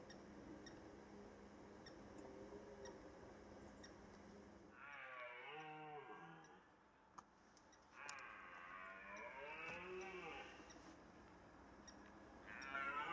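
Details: Red deer stags give long, deep, rasping roars during the rut in early September 2014, in Rennsteig forest, Thuringia, Germany, each lasting a few seconds.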